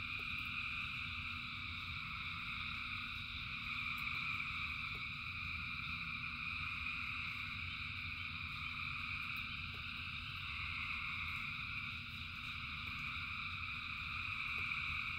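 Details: Frog chorus in the rain, thousands of animals calling together as one continuous shimmering wall of high trilling that swells slightly in places, over a steady low rumble with occasional faint ticks.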